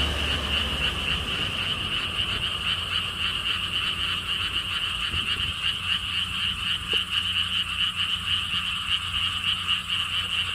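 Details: Frogs calling at a lotus theme park by a stone wall path in Siheung, South Korea, near the Gwangokji lotus pond: a dense chorus of many callers, rapid pulsed croaks about four per second, steady throughout, with low rumbling background noise.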